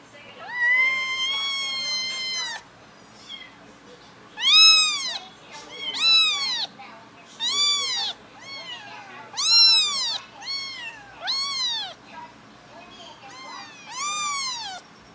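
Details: Kittens, adopted together with their mother, making sweet little noises: a long steady mew, then a run of short high arched mews about every second, strongly harmonic, with slight background hiss.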